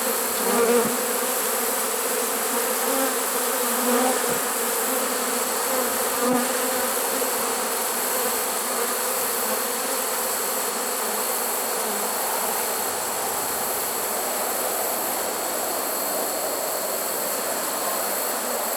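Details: Honey bees in a swarm trap in early September 2019, one of about thirteen swarms caught that year. A continuous low buzz runs throughout, with a few faint clicks and thumps early on.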